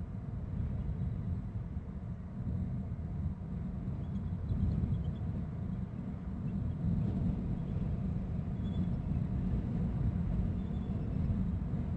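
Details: A steady low rumble of wind or distant traffic fills the recording, with no clear animal calls.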